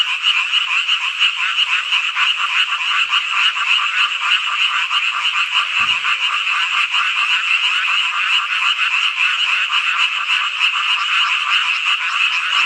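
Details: Frogs in full chorus on a hot summer night in Hongcheon, Gangwon Province, South Korea; countless voices blend into a steady, buzzing, rapidly pulsed croaking that never pauses, interrupted only by a single brief click near the middle.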